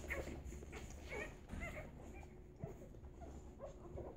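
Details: English Golden Retriever puppies, nine days old, in a litter; soft high whimpers and squeaks come about once a second over a low steady hum.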